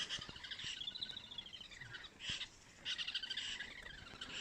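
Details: Many squirrels at Mala Mala near Kruger give high, rapid chattering alarm calls together at lions, including a young cub, that are nearby close to an elephant.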